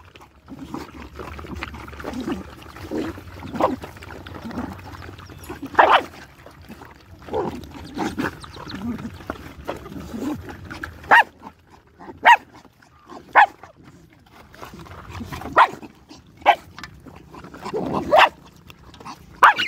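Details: Nursing puppies feeding from their mother give short, scattered squeaks and whines, with soft murmuring and shuffling between the louder bursts.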